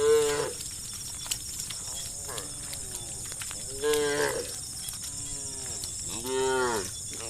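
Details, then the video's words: Evening in a village, cows calling their herd with moos. Three main lowing calls, the first and last louder, with fainter moos between and a steady high hiss behind. "the sound of cows mooing calling their herd"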